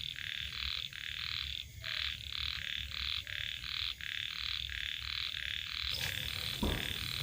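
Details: Khiat, small rice-field frogs, croaking at evening beside paddy fields. Short raspy pulses repeat in an even chain of roughly three per second, with a soft high trill behind them. A sudden knock and rustle come near the end.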